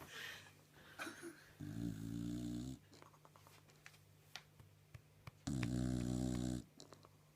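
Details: Sleeping bulldog indoors, snoring loudly: two long, rough, harmonic rasps about four seconds apart, each lasting roughly a second, with quieter breathing, soft clicks and rustles between them.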